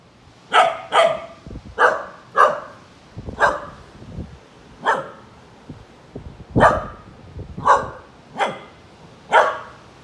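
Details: A Siberian Husky puppy barking at a rubber duck gives a run of sharp, high-pitched barks, singly and in quick pairs.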